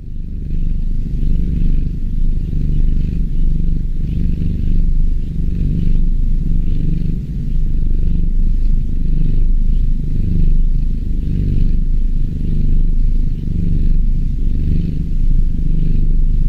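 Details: A kitten purrs in a steady, deep rumble that swells and fades with each breath.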